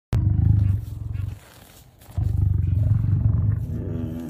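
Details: Lion giving a low rumble: deep, rapidly pulsing growl in two bursts separated by a quieter pause, a throbbing, vibrating texture throughout.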